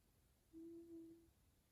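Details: F2 Savannah cat Taj, sleeping while being petted, gives a short steady low hum lasting under a second in a quiet room.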